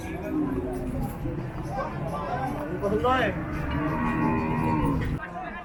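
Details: Cattle at the Paragram cattle market on 7 December 2024: drawn-out, droning moos partly masked by a busy crowd, constant chatter and market noise.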